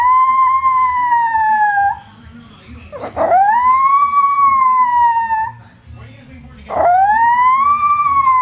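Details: Miniature Schnauzer singing in three long, clear howls, each rising sharply at the start then holding a steady tone for about two seconds before falling off, with short breaths and background noise between.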